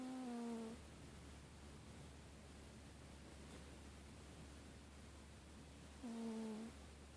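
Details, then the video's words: Euphemia Grey, a pet cat, snoring away asleep on the couch among blankets: two short, low, tonal snores about six seconds apart, each a brief nasal hum, over a steady hiss of room noise. "Kitty snoring"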